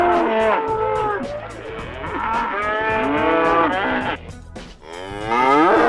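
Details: Cow giving long, sustained moos with wavering pitch, running almost continuously for several seconds, then a brief dip and another rising moo, with a percussive music beat behind.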